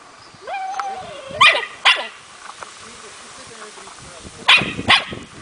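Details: Four-month-old Smooth Fox Terrier puppy during playful hunting training, showing its inborn hunting instinct: a thin whine, then sharp high yapping barks in pairs, two near the start and two more a few seconds later.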